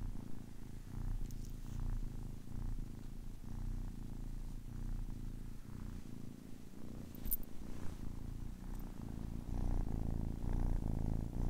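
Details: A 10-week-old kitten purring: a steady low rumble with a faint pulsing rhythm, energy concentrated in the bass, quiet and continuous throughout with a few soft clicks and rustles.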